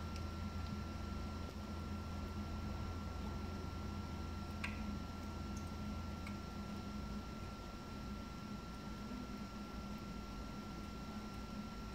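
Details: A steady electrical hum and a constant tone fill a quiet night with only a few faint ticks, and no cat is heard.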